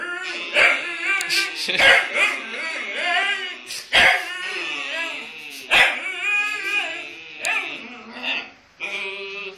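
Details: Two huskies vocalize together in drawn-out, wavering howl-like calls with bent, sliding tones, broken by sharp bursts and yips roughly every two seconds, with a human voice mixed in.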